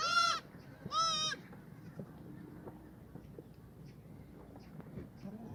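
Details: Black goats at a farm in Gimhae, South Korea, in an outdoor exercise yard on a foggy Friday morning, 29 March 2019: two loud, quavering bleats in quick succession at the start, then quiet yard noise with soft clicks.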